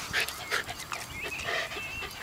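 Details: Dog at Te Puru, with rapid breathy panting bursts repeating about every half second. Thin, high whistled birdsong runs faintly in the background.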